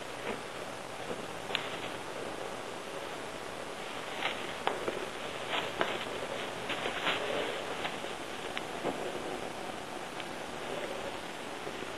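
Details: Steady rustling and soft scraping with scattered sharp clicks over a constant hiss, with no animal voice heard.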